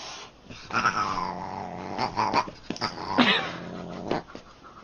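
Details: A Neapolitan Mastiff crying with drawn-out, nasal, tonal whines, one sliding sharply upward midway, broken by brief breathy pauses, in a small indoor space.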